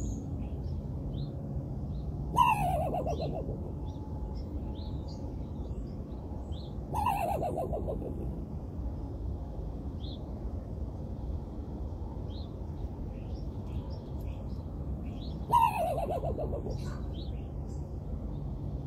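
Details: Three rough, descending barks from a raccoon, separated by about five and eight seconds, against a constant low rumble and scattered high bird chirps.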